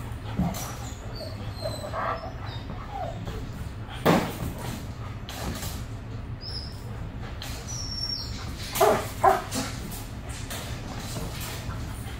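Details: German Shepherd named Bailey, a young female in a two-week board-and-train programme for aggression, reactive to other dogs, squirrels, cats, birds and vehicles; a few short, sharp barks scattered through the clip over a steady low rumble of background noise.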